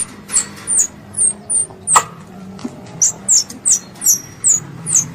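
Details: Squirrel calling its mother, described as a pest: a rapid series of thin, very high-pitched squeaks, each sliding downward, repeated roughly twice a second with brief gaps, over a soft low background hiss and one faint click.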